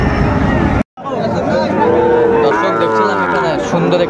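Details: Sahiwal cattle at a busy cattle market in Chattogram, Bangladesh, on 16 September 2024, where a bull calf is being bought. A low, drawn-out, harmonic-rich moo swells midway, overlaid by men bargaining and general market bustle, with a brief dropout near the start.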